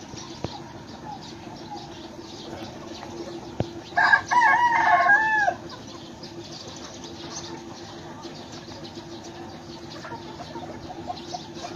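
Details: Myanmar fighting cock crowing once, a loud harmonic crow of about one and a half seconds that rises and then falls at its end, set against a steady low hum and faint ambient noise.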